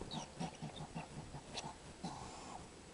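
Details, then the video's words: Skunk at a feeding window giving a series of soft, low grunting chuffs, about four or five per second, beneath a constant broad background hiss. "THE STRANGE SOUND OF A SKUNK'S VOICE"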